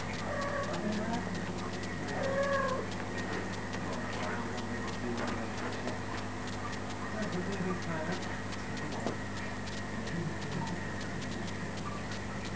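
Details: Kitten playing with its mother; a few faint, curving mews, rising then falling, sound in the first three seconds and again later, over a steady low electrical hum and household background noise.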